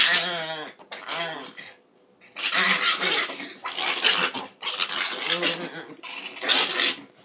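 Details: Two puppies about four months old, a Norwich terrier and a Chihuahua, playing together indoors: bursts of raspy, harmonic growling and whiny yips, each lasting a second or two, separated by short quiet gaps.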